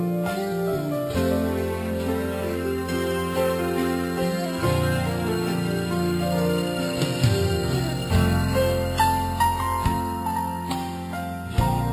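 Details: Gentle, tender instrumental music with sustained chords and soft melodic notes plays throughout, and no animal voice is heard.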